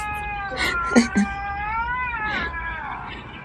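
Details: House cat reacting while watching videos of other cats, a drawn-out meow that slides and wavers, overlapped by short sharp knocks and a woman speaking briefly.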